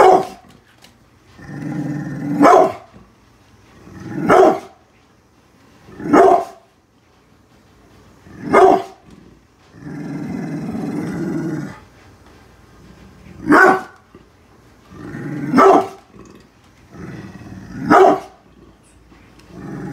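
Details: Protective brindle pit bull Bullet defends the house against construction workers outside: irregular deep barks spaced two to three seconds apart, interrupted by two sustained low growls.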